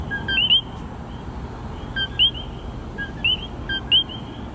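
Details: Several common coquis in San Juan, Puerto Rico give their two-note call, a short flat 'co' followed by a sharply rising whistled 'qui'.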